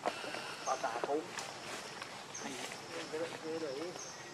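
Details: Baby monkey named Leo crying loudly to beg its mother for milk; short wavering, warbling cries come in two bursts, with a steady high insect drone throughout.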